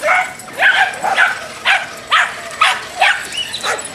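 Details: Road-raging Dachshund giving loud, high-pitched yaps, about seven sharp barks in four seconds at a fairly steady pace.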